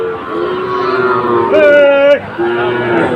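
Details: Sahiwal bull calves at a cattle market in Comilla, Bangladesh, 17 August 2024: one loud, steady, tonal moo of about half a second stands out over lower overlapping lowing and murmured talk.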